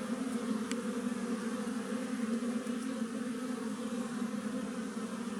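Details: Hum of a wild western honey bee colony in a tree, a steady low drone with overtones and a faint tick near the start.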